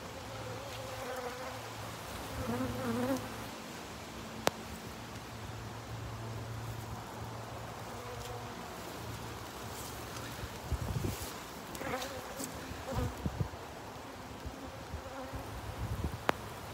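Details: Honey bees at their hives during rain, a low steady humming drone under a constant hiss of rainfall, with occasional sharp taps and knocks.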